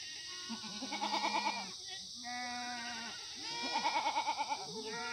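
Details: Korean black goats, free-range and raised without antibiotics on a hillside farm below Muchuksan, Sangdong-myeon, Gimhae, South Gyeongnam, on a sunny Monday morning in September 2019; several overlapping bleats, some wavering and quavering, others steady and drawn out, with a constant high hiss behind.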